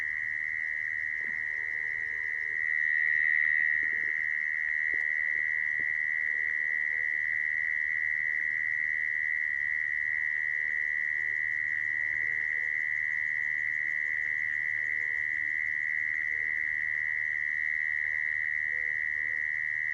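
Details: Mole cricket sound used as a lure to trap crickets: a steady, unbroken, high-pitched buzzing trill that holds one even pitch for the whole twenty seconds, with faint low background noise beneath.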